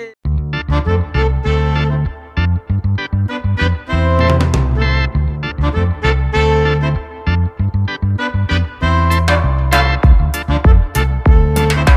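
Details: Upbeat swing-style music with piano, keyboard and brass plays throughout in quick rhythmic bursts, with no animal sounds.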